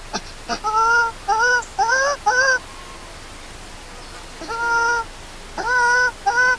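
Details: A newborn monkey named Lori, left alone by an angry mother and hungry for milk, cries loudly with bright, bowed wails in quick clusters. Two quieter pauses separate three bouts of calling.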